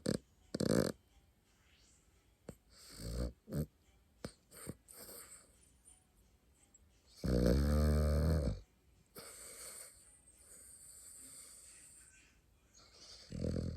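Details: Sleeping pet dog snoring: a handful of loud, raspy, breathy snorts at uneven intervals, one long drawn-out rattle in the middle, separated by quiet stretches of soft breathing indoors.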